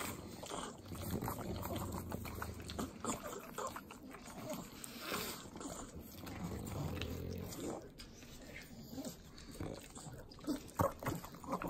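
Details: Pug dogs, three of them, eating butter in Southern California; wet licking mixed with low piglike snorts and grunts, bursts of snuffling coming and going over several seconds.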